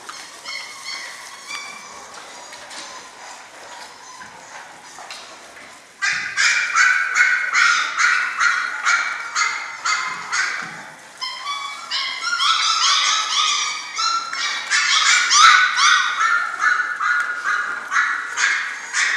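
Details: German Shorthaired Pointer puppies of the Sevens litter, six weeks old, yelping together: quieter scattered whines for six seconds, then a loud dense chorus of overlapping high yips and squeals that rises again near the end.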